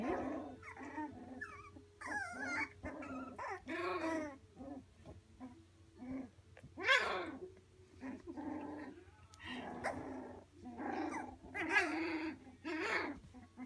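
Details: Several three-week-old Labradoodle pups squealing, whining and giving small growly yelps, with loud uneven cries in clusters and a low background hum.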